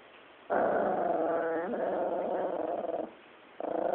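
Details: Female chihuahua growling while guarding her bone as someone tries to take it; a long, steady, rough growl of about two and a half seconds, then a brief pause before a second growl begins.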